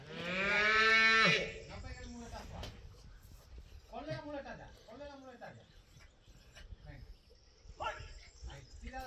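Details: A young female calf on a ranch, worked during bullfighting school training, lets out a strong, hoarse, harmonic bellow of just over a second at the opening; after that, people converse with faint rural background noise.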